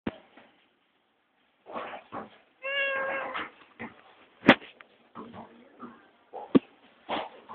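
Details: Pet cat meowing indoors to wake its owner like an alarm clock: one clear, drawn-out harmonic meow in the middle among several shorter, softer meows, with clicks and rustling of movement.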